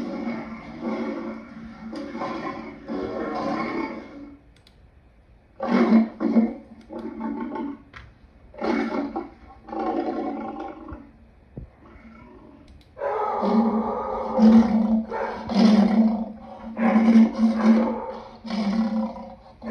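A lion gives deep, rasping roars in a ragged series of strained bursts with short pauses.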